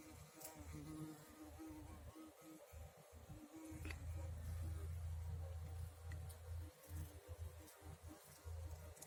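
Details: Bumblebee in a garden, buzzing with strain while collecting nectar: a low, steady droning hum that swells louder and fades as it shifts among flowers, with faint clicks and soft background hiss.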